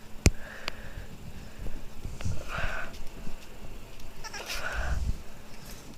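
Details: Boston Terrier puppy crying, with short whiny cries: a brief thin whine early on, then two louder nasal cries about two seconds apart, amid clicks and soft low handling noise.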